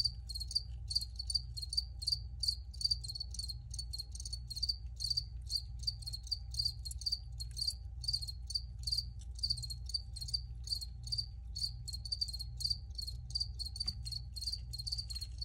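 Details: Crickets chirping in an original field recording: rapid, steady pulses of high, ringing chirps repeating several times a second throughout, over a constant low rumble and a faint steady hum.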